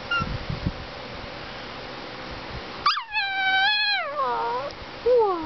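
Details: Male Greyhound–Chihuahua mix, called a talking greyhuahua, gives a sudden sustained tonal howl after a quiet start, holding steady before sliding down, followed by a short falling whine at the end; faint background rustling.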